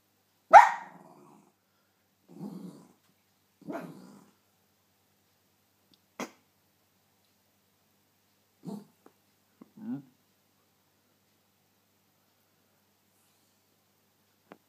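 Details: Luci the Cairn Terrier gives one sharp bark, followed by several soft, low grumbling growls spaced a second or two apart, then falls silent.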